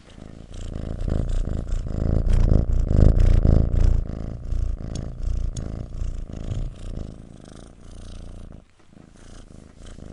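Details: Kitten purring: a steady low rumbling purr with rhythmic inhale and exhale pulses, growing louder toward the middle, then softening and briefly breaking off near the end.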